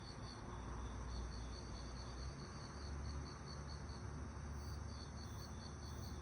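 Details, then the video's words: Crickets on a summer night, steady rapid high pulsed chirps running through the clip over a constant low rumble of background noise. "여름밤 귀뚜라미 소리"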